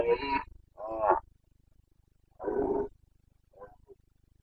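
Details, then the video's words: Red deer stag of the Carpathians in Bucovina, Romania, roaring during the 2022 rut: two short harsh bellows in quick succession, a longer rasping roar after a gap, then a faint trailing grunt. "Boncănit / Carpathian stag Breeding season"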